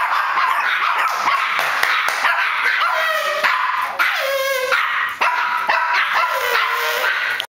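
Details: Chihuahuas bark at a person coming through the door, letting out a fast run of shrill, yapping barks mixed with drawn-out whiny yelps.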